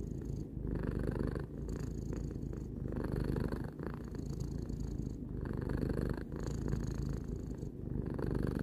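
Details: Indoor pet cat, three years old, purring contentedly in a long unbroken low drone, regular breathing cycles of inhale and exhale about once a second, quiet room.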